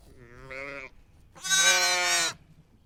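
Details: Sheep bleating twice: a shorter, quieter wavering bleat, then a louder, rich, buzzy bleat of nearly a second, over low background noise.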